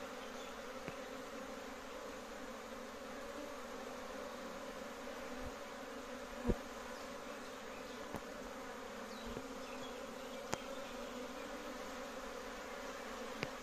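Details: Large domestic honey bee colony in Kashmir giving a continuous, steady hum, layered low drone without pause, broken by a few sharp clicks or taps scattered through.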